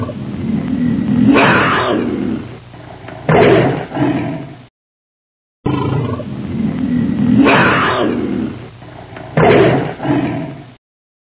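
A tiger gives deep, rasping roars, each swelling loudly and then breaking off, and the sequence repeats.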